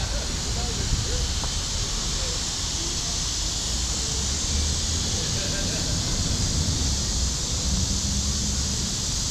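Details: Cicadas calling in Forsyth Park, Savannah, Georgia, around midday on July 5, 2010: a steady, unbroken high hiss-like drone holds throughout, over low rumbling traffic and outdoor background noise.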